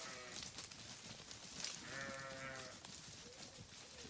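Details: Grazing sheep on a farm: a quivering, harmonic bleat swells midway through, followed by a shorter, fainter bleat near the end, over steady crunching and rustling of feeding.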